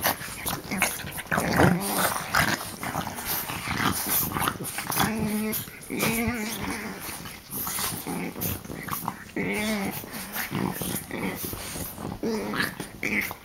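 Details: Three French bulldogs ganging up on one while play-biting, giving a steady stream of wet snorts and rasping breaths, broken by short low growls around the middle and later, with occasional human chatter.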